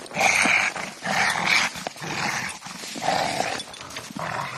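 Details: Playing with a tyre, a Rottweiler makes harsh, breathy growling bursts roughly once a second, loud and uneven, with rustling in between.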